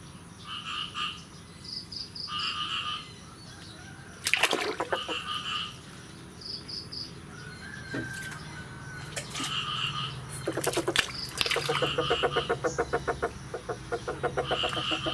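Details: Frogs calling on the morning of 9 May 2022 after the year's first rain. Short bursts of bright, stacked notes come in little groups of three or four, with fast rattling pulse trains and a low background hum.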